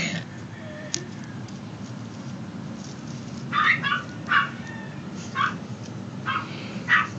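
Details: Maltese puppies, male and female littermates, give short high-pitched yips, about five spaced bursts in the last three and a half seconds over a steady background hiss.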